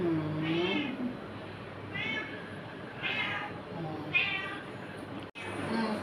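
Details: Domestic cat described as afraid, meowing indoors: four drawn-out, tonal meows, each rising then falling, spaced roughly one second apart. A quiet human voice and a faint hum sit underneath.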